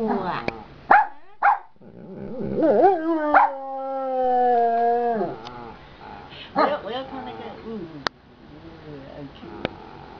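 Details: Giant panda in a good mood singing leisurely in the afternoon: a long, steady, tonal bleating call held for about three seconds, bracketed by short rising yelps and brief squeaks.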